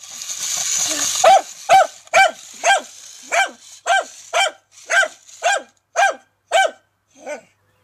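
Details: A dachshund barks at a remote-controlled tarantula in sharp, high-pitched yaps, about two each second, after a brief mechanical whirr.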